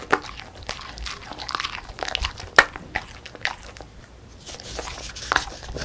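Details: A female beagle, born December 2016, crunches and chews a crisp puffed rice snack, with sharp bites and brittle cracking.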